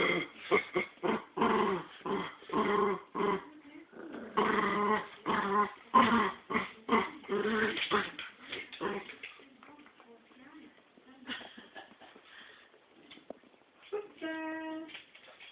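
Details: Pair of pet dogs in a tug-of-war over a squirrel toy, giving rapid choppy growls for about nine seconds, then quieter scuffling and a high squeaky whine near the end.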